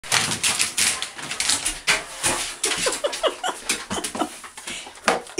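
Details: Jackie, a female Bernese Mountain Dog, eager for her bath right now and for cookies, indoors; short rising whines and yelps come in quick irregular bursts alongside clicking and tapping noises in a small room.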